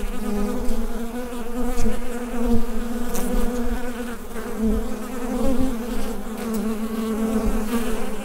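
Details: Bees droning within their hive, taken on a USB microphone; a loud, constant low hum with ringing overtones, slightly pulsing in strength, with a few faint clicks scattered through.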